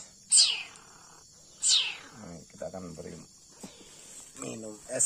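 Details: Young leopard cat kitten being hand-raised and bottle-fed milk. It gives two high, squeaky cries that slide sharply downward, a second or so apart, while a man talks over it.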